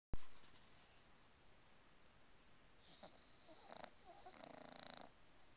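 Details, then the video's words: English Bulldog, a much-loved pet, snoring with tongue sticking out; long quiet stretch, then a few soft rasping, wheezy snorts with fluttering buzz near the end. "Snoring Butkus the Bulldog"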